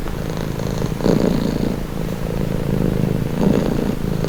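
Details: Domestic cat purring steadily, a low continuous rumble with soft swells in intensity around the first and fourth seconds, no other sounds.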